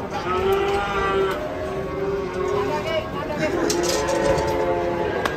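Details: Restless cattle during unloading from a truck, with a series of short, even-pitched moos repeated roughly every half second, then a longer call near the end, people's voices behind.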